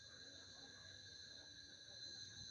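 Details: Cicadas in El Salvador around Holy Week, 31 March, outdoors after sunset near mountains, a continuous, shrill, ringing drone holding level without pause, with a man speaking quietly underneath.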